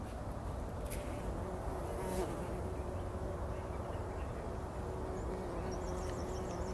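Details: Before sunrise in 2019, several bumblebees roll about inside poppy blossoms, their deep buzzing hum steady and unbroken, with a soft high chirping faintly in the background near the end.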